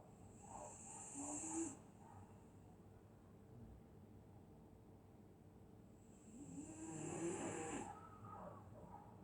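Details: Sleeping dog on a winter night in Scotland, snoring in two drawn-out raspy breaths roughly six seconds apart, the first closing with a brief squeaky rise, the second rougher and louder, over a steady low hum.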